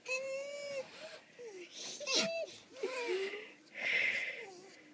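A fox gives high, wavering whines and short yelping cries, interspersed with breathy huffs.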